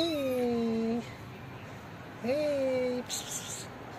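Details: A tiny homeless kitten waiting for love and food gives two clear meows, each rising briefly then sliding down, the second after a pause of over a second, with a faint hiss of background noise.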